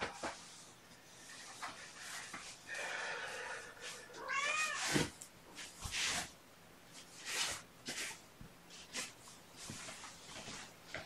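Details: Indoor morning recording from June 2018 of mother cat Gamora and her five young kittens; a single bending, slightly wavering meow rises mid-clip amid soft rustling, thumps and scattered clicks.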